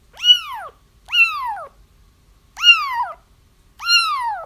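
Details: Four drawn-out kitten cries used to attract a feral mother cat toward a trap, each a rising-then-sliding wail lasting over half a second, with one cry breaking into a double note; no other sounds.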